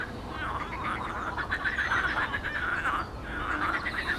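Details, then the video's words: A pond chorus of frogs recorded 12 May 2022, a thick rattling mass of quick pulsed croaks that swells mid-clip, dips briefly, then builds again toward the end. "Żaby w stawie"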